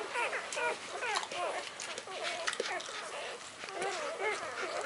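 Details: Newborn puppies of the Gemma x Dublin litter, 48 hours old, born by C-section on 20 January 2013, nursing and jockeying for position; many overlapping high squeaky whimpers with bending, arched tones, almost continuous throughout.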